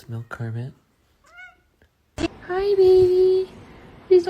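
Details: Domestic cat giving one drawn-out, steady, tonal meow that holds level for about a second, after brief human voices and a short high chirp; indoor room sound.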